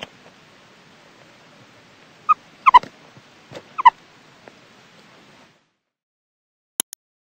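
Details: Meerkat (Suricata suricatta), call.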